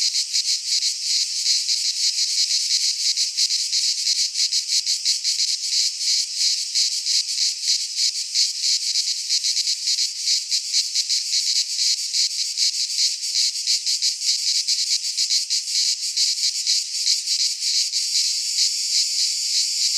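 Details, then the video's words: Cicadas in Greek pine woodland during midsummer, a relentless high rasping hum with rapid flickering pulses, steady in loudness across the whole stretch, no other animals or people. "Cicadas singing in midsummer - Nature sounds from the Greek fauna - Sounds of cicadas"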